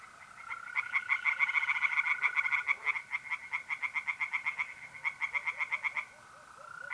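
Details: Singing tree frogs at a pond in north-east Italy on an April night: a dense run of quick, grating pulses, some swelling louder, over the smooth sustained trill of mole crickets.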